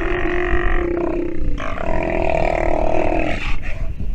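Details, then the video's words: While nursing, a sea lion pup utters a continuous, hoarse, harmonic bawling call that shifts pitch midway and lasts nearly the whole four seconds, over low rumbling noise. "Sea Lion pup has listened and learned while nursing - video has sound"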